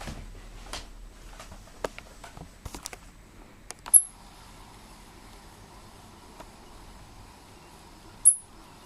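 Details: A pet squirrel gives two very high, thin, bird-like chirps about four seconds apart, over soft indoor clicks, knocks and a low hum.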